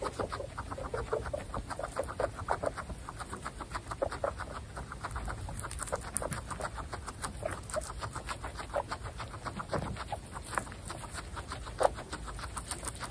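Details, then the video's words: A group of female guinea pigs from Butter's family munching fresh grass, giving a busy, continuous patter of brief low clucks and crunchy chewing ticks, several animals at once, with a few louder pops. "Guinea pig Butter’s family eating fresh grass"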